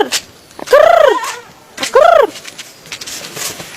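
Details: Goat eating a banana peel gives two short, clear bleats about a second apart, each a smooth rising-then-falling tonal cry with rich harmonics, over faint background noise.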